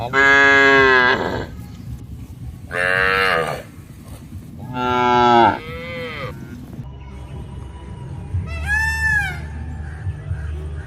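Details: Cattle in an open grassy farm field shared with goats, buffalo and monkeys: three drawn-out, harmonic-rich moos of about a second each, then a shorter, higher-pitched call near the end, over a low steady rumble.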